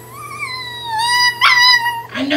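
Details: Pomeranian puppy crying indoors after being told off for biting: a drawn-out, high whine that slowly slides downward, then a sharper strained burst and a short rough noise at the end.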